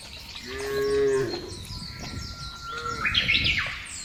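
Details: Cows in a field: one short, low, droning moo lasting under a second, followed by busy chirping and whistling birds in the background.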